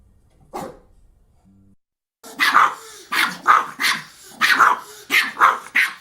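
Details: Pomeranian barking: after a faint yip and quiet start, a run of about eight sharp, high, yappy barks in quick pairs, with short whining notes between them.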